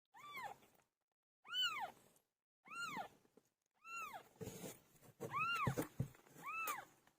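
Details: A cat called PILO giving birth meows six times in arched, harmonic calls, spaced about one second apart, with rustling and shuffling noises mixed in toward the end.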